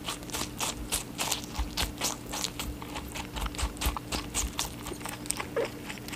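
An Angora rabbit eats with quick, dry crunching bites that come in an uneven rapid rhythm. A faint steady electrical hum runs underneath.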